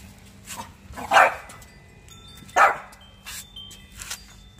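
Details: Pet French Bulldog during a hide-and-seek game, giving two loud abrupt barks about a second and a half apart, flanked by softer, quieter yaps; low background hum.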